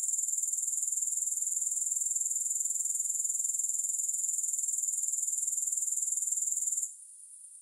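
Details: Continuous shrill chirring of grasshoppers, no music, pulsing rapidly at a steady high pitch, then dropping away abruptly near the seven-second mark to a faint hiss.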